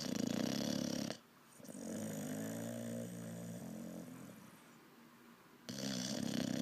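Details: Olde English Bulldogge puppy, six months old, snoring while asleep indoors: loud rasping inhalations with a low buzzy rattle at the start and end, separated by a long quieter wheezing breath.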